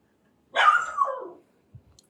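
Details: Desi dog from India letting out a single drawn-out bark that bends downward in pitch and lasts nearly a second, followed by a few soft taps.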